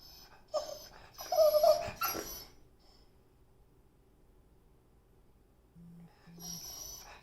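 A beagle gives short, high, nasal whines and yelps to get attention.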